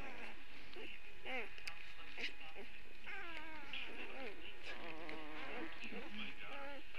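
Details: Puppies early on a Saturday, whimpering continuously: many overlapping wavering, rising and falling whines, denser in the second half, with a constant low hum and brief human speech nearby.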